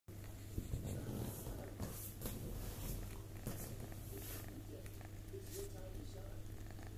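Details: Toyger cat, a pet that gets away with climbing onto the kitchen counter, purring indoors: a steady low rumble throughout, with soft speech and small room noises over it.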